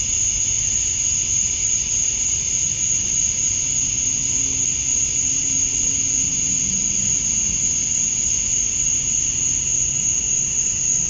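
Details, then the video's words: Summer dusk chorus of male cicadas in Georgia, USA, calling to attract females: a continuous piercing whine with no pauses, even and level, plus a faint lower tone drifting briefly in the background. "Cicadas at Dusk, Summer Night"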